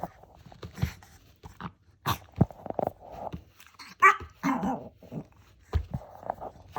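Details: Shih Tzu dog in a playful 'gao' roar lesson, giving short, rough growly barks and grunting rumbles in scattered bursts, the strongest near the middle, with soft rustling and handling noises between them.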